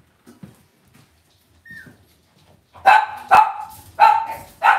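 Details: Indoor puppy pen of young Cavalier King Charles Spaniels: after quiet shuffling and a thin squeak, four shrill yapping barks come in quick succession, roughly two every second, each short with a falling tail.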